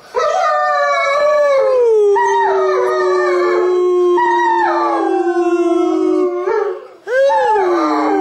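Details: German Shepherd named Sadie howling along with a young girl's singing on Christmas morning, a yearly family tradition; long sustained wavering howl that slides downward, held for about six seconds, then a brief rising yelp-howl at the end.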